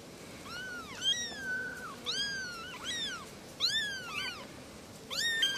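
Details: Three small kittens calling together: a rapid run of high, arched, slightly wavering meows that overlap and answer each other, several each second at times, over a quiet hiss.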